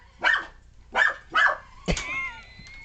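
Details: Puppy Alfie barks at a remote control car the day after Christmas: three sharp, high yappy barks about half a second apart, followed by a whistling, siren-like toy tone with a click.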